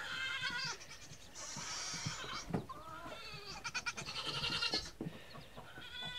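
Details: Nigerian Dwarf goat kids on their first day, coaxed to come out, calling in high, wavering bleats: two long quavering cries with a short bleat between, plus faint rustling and knocks.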